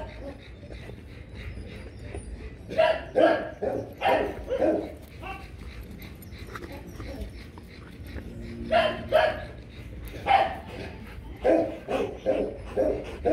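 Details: Loki and Siro, a Rottweiler pair being bred: irregular bursts of deep, throaty barking, some paired in quick doubles, separated by quieter stretches with soft whimpering and background voices.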